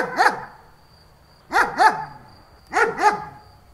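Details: German Shepherd dog barking: one deep, hoarse bark, then two quick double barks about a second and a quarter apart, each bark a short rising-falling burst with a faint steady hum behind.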